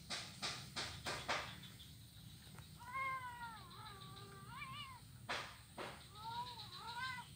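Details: Blind kitten playing on an ironwood plank bridge in Kuala Kapuas, Central Kalimantan, recorded Monday 25 November 2019; several rising-falling harmonic meows around two to three seconds apart, after a series of sharp knocks on wood.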